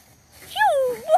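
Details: A pet dog among several enjoying play lets out a brief whine that rises, dips gradually lower, then lifts again at the end, after laughter, with Spanish talk around.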